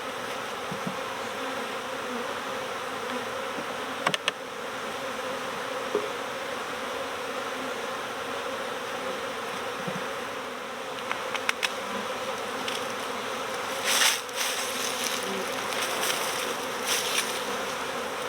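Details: Honeybee swarm at the start of swarm season, being recovered next door: a dense, steady hum with low banded tones, broken by a few brief clicks and short bursts of higher hiss.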